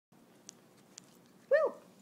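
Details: Border Terrier puppy settling on a bed on its own indoors gives one short rising-then-falling whine near the end, after two faint clicks; a person then praises it.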